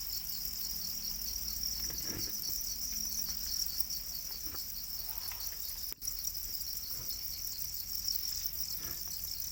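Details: Many domesticated Para crickets, or black crickets, trilling together in a steady, high, buzzy chorus, broken by one sharp click partway through, over soft low background noise.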